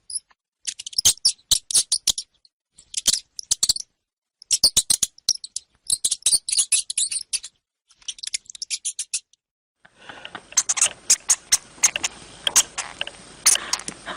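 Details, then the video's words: Hamster producing clustered bursts of sharp, high clicking squeaks; after about ten seconds a steady background hiss rises beneath continued squeaking. "Som de Hamster"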